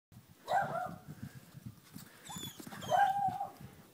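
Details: Black German Shepherd Dog puppies, Strongheart, Bergen and Derrick, offered for adoption, give two short, high, whining yelps about two and a half seconds apart, each sliding slightly, over a low rumbling background of shuffling and movement.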